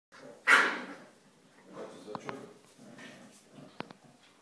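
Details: Corgi on the Volga playing with a sponge gives one sharp, loud bark early on, between quieter stretches of human talk and a few soft clicks.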